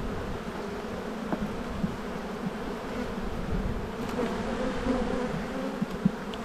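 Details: Spring buildup at an Australian apiary, 7-9-22: honey bees around an open hive full of brood give an even, low, unbroken hum, with a few faint ticks and knocks.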